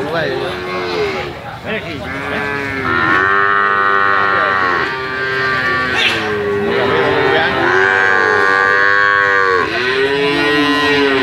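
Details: Calves mooing almost continuously, overlapping harmonic calls with arched and falling contours, some higher pitched and strained, packed closely with little silence between.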